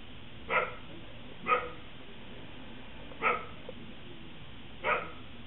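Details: Buster the Corgi playing in snow, giving four sharp, evenly spaced barks over a few seconds with a low steady rumble behind.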